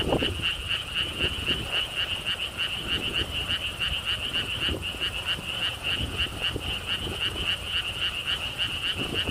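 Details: Frogs calling at a lotus theme park pond in Siheung, Korea, beside a stone wall path: a steady chorus of short, bright, rapid pulsed notes, about four per second, with soft wind and low rumble behind.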